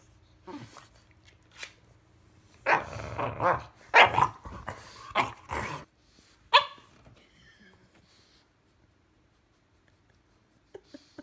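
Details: Two-year-old female French bulldog bickering with her four-month-old English bulldog puppy brother indoors: a cluster of harsh growly barks in the middle, one sharp yelp after, then quiet with faint clicks.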